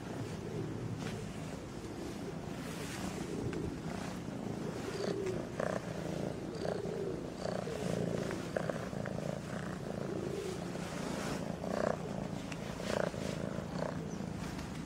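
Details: A fluffy kitten purring steadily while playing with a person's fingers: a low, continuous rumbling purr with soft, brief rustles and small clicks scattered through it.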